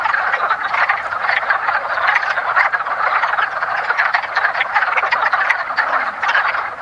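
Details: Woodland pond in early spring with wood frogs in their mating ritual: a loud, dense chorus of hoarse, quacking croaks, overlapping and continuous, fading slightly at the end.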